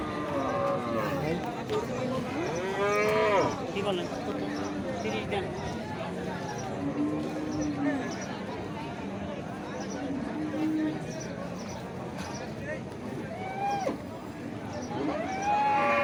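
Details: Cattle at a crowded livestock market ahead of Eid, animals for Qurbani sacrifice; long, flat, low drawn-out moos over steady crowd chatter and bargaining voices, with music in the background.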